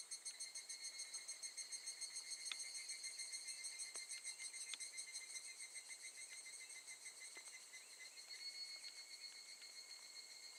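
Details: Higurashi cicada chorus recorded August 2018 at Gakujin no Mori campsite in Tokushima, Japan; bright high-pitched pulsing trill, slightly overlapping and uneven, fading a little toward the end, with scattered light clicks.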